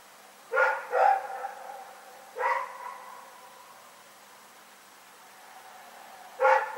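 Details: Rex, a dog, barking in the night, recorded February 27, 2018: a quick pair of sharp barks, another about 1.5 seconds later, then a long quiet gap before a fourth, each with a short echoing tail against a low, still background.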